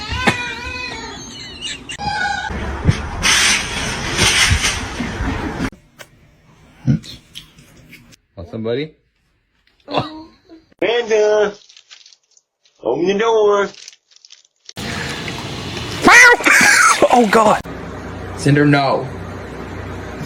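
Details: Cats in a fight, giving drawn-out wavering yowls in separate bursts with short silences between them, mixed with human speech and scattered noise.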